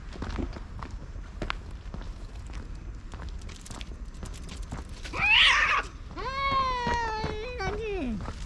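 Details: Territorial cat fight, a grey tabby-and-white cat driving off an intruding orange tabby: after quiet shuffling, a sharp explosive hiss erupts, then a rising, wavering yowl that bends downward at its end.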